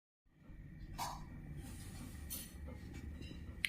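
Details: Quiet indoor background hum with a few soft clicks and taps, and no animal voice heard.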